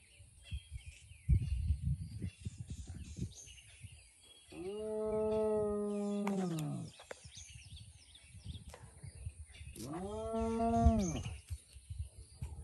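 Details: Spotted hyena giving two long, steady, harmonic calls a few seconds apart, slightly arched in pitch, with low rumbling background noise and faint thuds between them.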